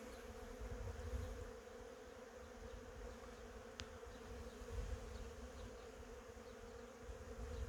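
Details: Continuous low droning hum of honey bees working cherry blossoms, with a rumbling breeze or background noise underneath and a single sharp click midway.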